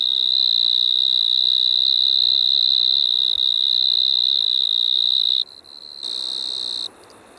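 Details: Striped marsh-cricket singing in Maggia, Switzerland, on 1 September 2023; a continuous, steady high-pitched trill held for over five seconds, then breaking off, with a brief weaker burst afterward.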